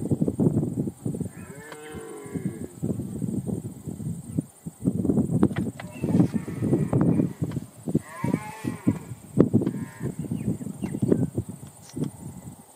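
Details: A red deer (Cervus elaphus) calls with deep, groaning bellows and a few higher, wavering cries in between.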